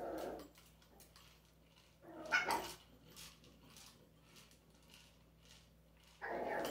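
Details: Small pet dog indoors, playing with an interactive toy, giving short sharp barks at the start, near two and a half seconds and again at the end, with quiet room noise between.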